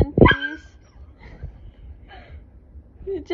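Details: Siberian husky wanting to play: one short, bright yelp with a rich stack of overtones, then soft faint sounds while people speak quietly nearby.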